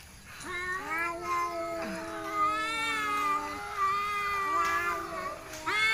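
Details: Village cats fighting and then relaxing, giving long drawn-out wavering yowls with rich harmonics, several overlapping voices rising and falling, one brief sharp cry near the middle, continuous for six seconds.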